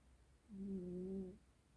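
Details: A black cat snoring loudly: one steady, low, hummed tone lasting under a second, level in pitch with a faint overtone, fading in and out against a quiet indoor background.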